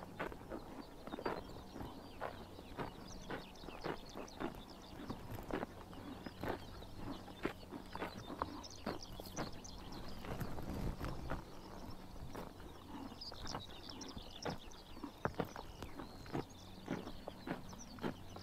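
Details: Horses biting grass in the morning sun during a Mongolian summer: a steady series of sharp, crisp tearing and crunching snaps, several per second, over a low steady hum, with faint higher chirps in the background.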